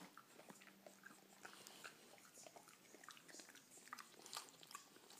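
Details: A French Bulldog eats cake noisily, with wet smacking and crisp clicking chews in quick, uneven bursts.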